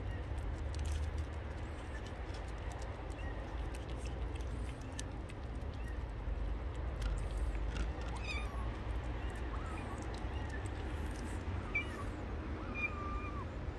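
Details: Stray street kitten crying outdoors, giving several short, thin meows, some rising then falling, spaced a second or two apart in the latter half, over a constant low rumble of passing vehicles.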